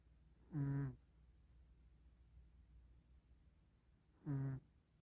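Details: Snoring cat asleep at Christmas: two low, harmonic-rich rasping breaths nearly four seconds apart, quiet indoor background between them.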